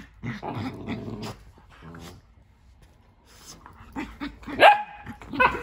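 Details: Indoor play between dogs Nala and Jersey, Nala defending her tent in the new playroom: rolling growls at the start, a quiet lull, then rising sharp barks, one with a drawn-out yelping tone.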